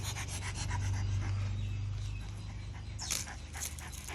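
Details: German Shepherd dog panting steadily in quick, rhythmic breaths, close to four per second, low and huffing throughout; a couple of brief sharp bursts of noise near the end.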